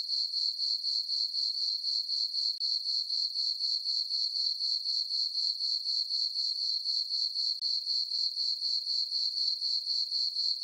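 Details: On a farm meadow at night under a full moon in summer, crickets sing a bright, high-pitched pulsing chirp, regular at about four pulses per second, without other background noise.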